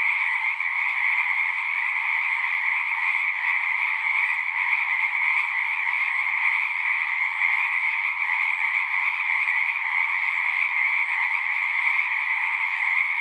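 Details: Pond frogs in a horse pasture calling en masse, Zoom recording; an unbroken, buzzy-trilled chorus of countless overlapping frogs, steady in pitch and loudness from start to finish.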